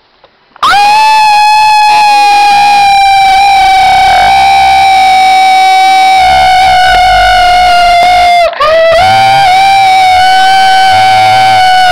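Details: A loud, steady, buzzy instrumental tone holds almost one pitch throughout, rich in overtones like a distorted electric guitar. It cuts out for a moment, then resumes, with no animal voice heard.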